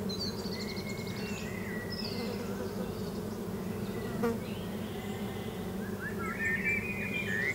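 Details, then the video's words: Continuous low hum of bees among lavender at sunset in summer, Victoria, Australia, with thin whistled birdsong calls scattered above, including a rising phrase near the end. "Listen to the bees buzzing"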